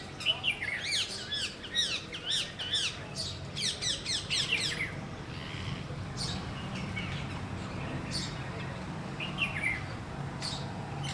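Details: Squirrel giving rapid bursts of sharp, high chirps, each note quickly arched up and down, delivered in quick runs over the first seconds, then scattered single chirps over a low outdoor rumble.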